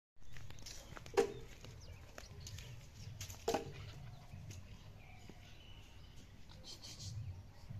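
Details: Pit Bull puppy at play giving two short, sharp squeaky yelps about two seconds apart, over a low rumbling background.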